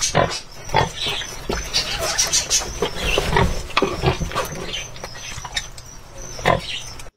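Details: An old pig with strange teeth, described as dangerous, eating: rough broadband grunting and snorting bursts that come irregularly, mixed with crunching, chewing-like noise throughout.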